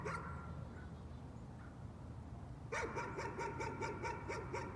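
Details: Nuisance barking from a dog: after a quiet stretch, a quick run of sharp yapping barks begins and continues steadily to the end, several barks per second.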